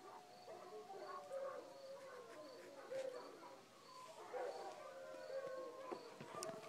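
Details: Night chorus at about 2:30 am after coyotes yip, with every dog in the village answering; layered, wavering drawn-out howls overlap continuously, rising and falling, over a faint steady insect hum.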